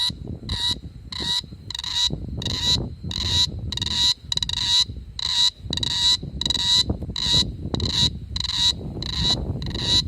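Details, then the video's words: Cicada chirping at night in summer 2017 in Da-an District, Taichung City, recorded on an Asus ZenFone2: steady, ringing tonal pulses repeated about one and a half times per second over a low rumbling background. "Cicada chirping at night."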